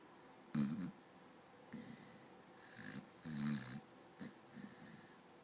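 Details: A sleeping dog snoring while twitching: five short rough snorts, each a low, rasping breath lasting about half a second, separated by quiet pauses of one to one and a half seconds in an otherwise still room.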